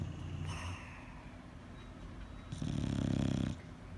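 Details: Bulldog asleep, giving one loud, low, buzzing snore of about a second after a stretch of softer wheezy breaths.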